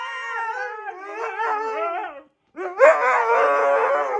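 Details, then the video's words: Pet Siberian Husky protesting after being told "no": wobbly, warbling howls with bending pitch, a brief pause, then a louder, grumbling, talkative burst of wavering vocal sounds. "Telling My Husky “NO” 😅"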